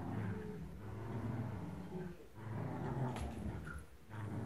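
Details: Blue merle Shetland Sheepdog playing tug-of-war in early 2018, giving a low, continuous, throaty growl that swells and fades, with faint rustling.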